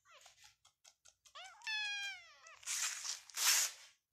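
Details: Indoor cattery in Pakistan housing Persian cats and kittens at play: a run of tiny clicks and chirps leads into a clear, drawn-out meow with rich harmonics, then bursts of rough hissy scuffling noise.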